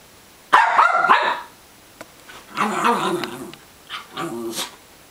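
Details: Indoor dogs going after a stuffed duck give a loud, rough bark burst, then lower rumbling growl-barks in two pulsing bouts, separated by brief quiet.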